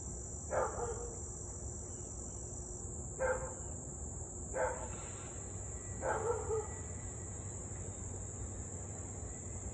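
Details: Siberian Husky barking at 6:24pm on 8/3/2021 near Louisville, a nuisance barker going nearly 30 minutes straight: four distant barks spaced about two seconds apart, with crickets buzzing high and steady behind.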